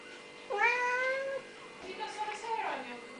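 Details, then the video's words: Siamese cat meowing indoors, one drawn-out, even-pitched harmonic meow lasting almost a second, followed by softer overlapping sounds and a quick falling cry. "The Noisy Siamese!"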